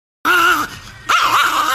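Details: Angry Chihuahua named Nikki giving a loud tonal growl that breaks into a sharp yip and wavering snarl, close and indoors, followed by a person speaking playfully.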